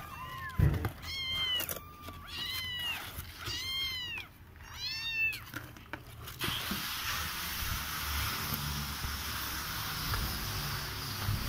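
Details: Siamese kittens in a box give a run of short, high, arched meows, about five in quick succession over six seconds, then the calling stops and only a steady hiss and faint room noise remain.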